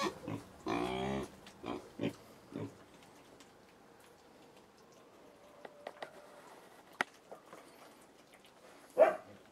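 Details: Little pigs in China grunting: a long harmonic squeal-grunt near the start, then several short grunts in the first three seconds, sparse clicks and a final sharp squeal.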